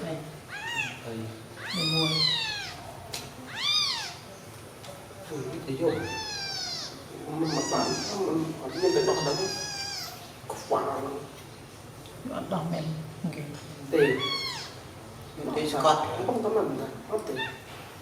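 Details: Newborn baby kittens, sleeping together after feeding, cry with high, thin, arched mews in bursts, separated by stretches of low human talk and background murmur.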